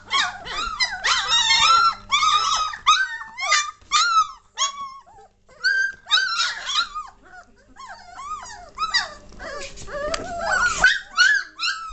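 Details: Litter of 3-week-old German Shorthaired Pointer puppies, indoors, 22 May 2014, getting lively and noisy: many overlapping high whines and squeals, arched and rising-falling, in busy bursts with short pauses and a low hum beneath.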